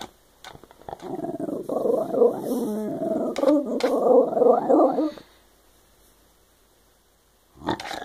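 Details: Shiba Inu dog chatting away: about four seconds of continuous warbling, growly vocalizing that rises and falls in pitch like talking, followed by quiet and a short noise at the end.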